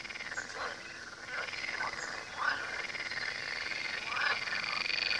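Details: By the Tywa river, frogs croak together in a busy chorus of brief, rasping pulses, several distinct louder calls spaced through the stretch.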